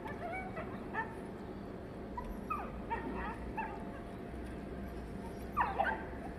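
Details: Desi dogs fighting while mating: scattered high, sharply bending yelps and whimpers, with a louder cluster of cries near the end, over a steady low rumbling background noise.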